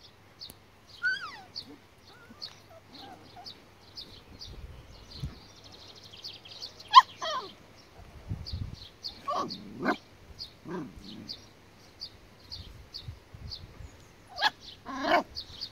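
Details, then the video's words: Border Collie puppies from two litters, aged four and six weeks, give scattered whimpers and short whines. Some rise sharply and others fall. Steady high chirping runs throughout, with low thumps and handling noise. "Border collie puppies"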